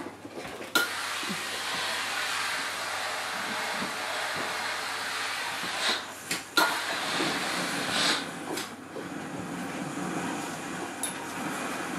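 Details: Steady broadband hiss like a hair dryer or vacuum fills the recording, with a few brief clicks and knocks and no animal voice.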